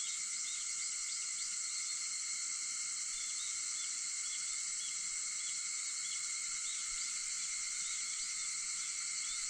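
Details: Cicadas droning continuously at dawn, 4:50 a.m. on August 4: a shrill, steady, multi-layered buzz with faint short chirps flickering through it now and then.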